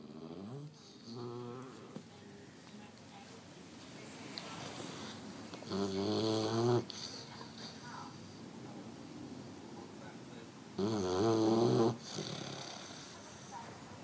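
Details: Eleven-week-old French Mastiff (Dogue de Bordeaux) puppy, male, snoring while asleep indoors, sounding human-like: two loud, buzzy, rattling snores about five seconds apart, each around a second long, with softer breathing noises earlier and low background hiss.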